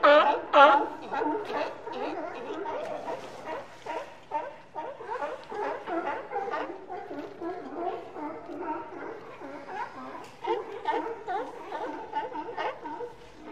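Sea lions bark in a hoarse, overlapping chorus, harsh voiced calls tumbling over one another.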